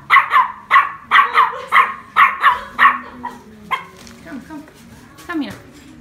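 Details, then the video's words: Small female chihuahua in a shop, meeting her mirror image for the first time and taking it for attacking dogs, yaps in rapid pairs for three seconds, then quieter whines and a woman speaking softly. "tiny chihuahua sees herself in the mirrors for the first time"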